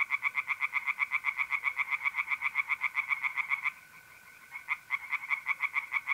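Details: In a pond in north-east Italy on a mid-April night, tree frogs give quick rhythmic croaks about four per second, pause for a moment, then start again over a constant mole cricket trill.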